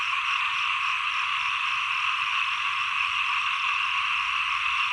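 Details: End of the rains, beginning of the cool season: many small frogs croak together in a continuous, even, buzzing chorus with no pauses.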